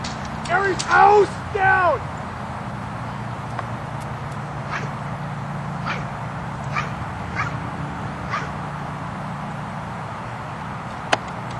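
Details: Two-year-old Belgian Malinois during French Ring training, preparing for competition: three quick, loud, ringing barks within the first two seconds, then only scattered sharp clicks and taps over a steady low rumble.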